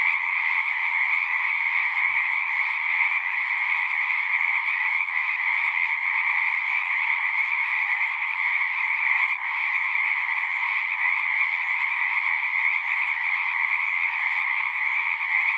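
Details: Many frogs calling at once in an unbroken chorus, their overlapping trills merging into a steady high-pitched drone with a second lower band, constant in loudness throughout.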